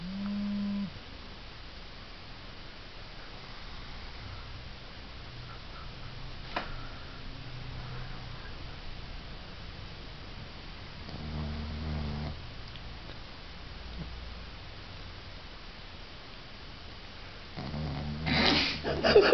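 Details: Igby, a small pug, snores while sleeping indoors: low, rumbling snorts recur every few seconds against a quiet room, building to a louder, rougher burst in the final seconds.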